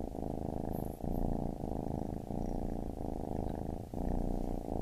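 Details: Baby kitten's purr, a dense buzzing rumble pulsing with its breathing roughly twice a second, close and calm.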